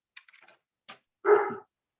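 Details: German Shepherd barking indoors in the background of a virtual parliamentary committee meeting: one short, loud, harsh bark following brief fragments of speech.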